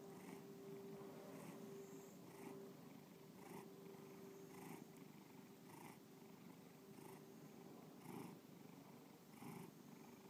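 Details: Bubba, a pet cat in Lakewood, Ohio, purring contentedly; deep rumbling purr pulsing with each breath about once a second, close up, with a faint steady electrical-like tone behind.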